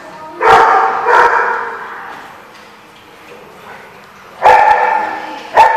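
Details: Dog recorded 30 October 2015, barking loudly in sharp single woofs: two close together early on, then a pause, then two more near the end, over a quiet background.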